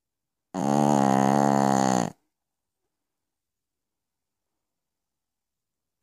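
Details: Sleeping Pekingese Piccolina at night gives a single drawn-out, harsh, vibrating snore of under two seconds, followed by four seconds of silence and the onset of the next breath.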